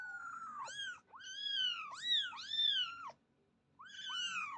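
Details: Small kitten mewing loudly and rapidly, a run of high, arched cries that swoop up and down, four or five in quick succession, then a brief pause before another pair.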